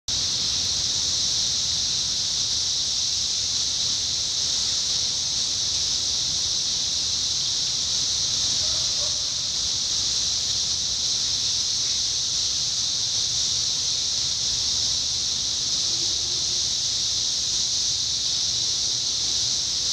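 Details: A dense chorus of 17-year cicadas in Indiana in summer 2021 makes a steady, high, hissing drone that never pauses.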